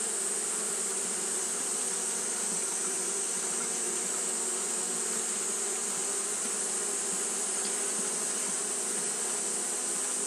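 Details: Hot-day fanning by Japanese honey bees, heard as a continuous low hum of many wings with a steady shrill band above, no pauses or changes in loudness.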